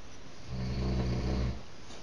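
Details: Staffordshire Bull Terrier puppy dreaming in its sleep indoors, giving a low, soft grunting murmur about a second long with a hum-like tone, in a quiet room.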